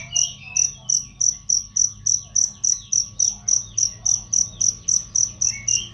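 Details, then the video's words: Cricket used as a training sound for songbirds, described as loud and clear; regular piercing chirps about three to four per second, with quiet bird twitters at the beginning and end. "masteran jangkrik untuk burung"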